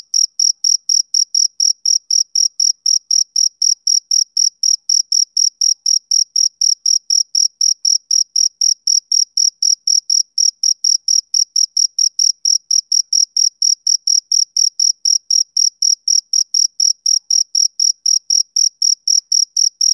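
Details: Summer-evening chirping of a male cricket: a long unbroken series of short, shrill pulses at a regular pace of roughly four per second, against a completely quiet background.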